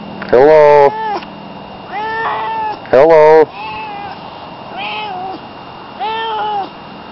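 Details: A domestic cat, said to sound like it is saying hello, gives loud harmonic meows: two strong rising-falling calls about 2.5 seconds apart, with softer drawn-out mews between and after, in a quiet room.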